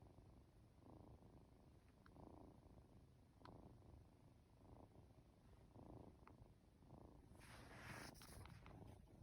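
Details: Sleepy two-month-old Norwegian Forest Cat kitten purring under a stroking hand indoors; a deep continuous purr swelling in rhythmic pulses about once a second, with a brief rustle near the end.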